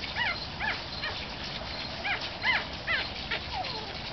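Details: Puppy one week old with a cleft palate, giving steady repeated high squealing whimpers, each a rising-falling arch, about two to three per second through the recording.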